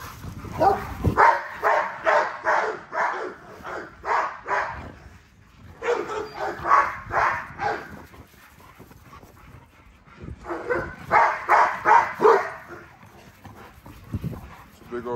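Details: Great Dane by a fence gives three long runs of rapid, rhythmic barks, each run lasting a few seconds with a short pause before the next.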